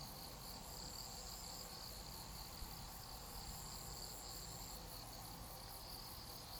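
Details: Grass insects heard in a quiet, restful outdoor scene: a softer, high, shrill pulsing chorus with a thin sustained tone on top, set against noticeable low background rumble.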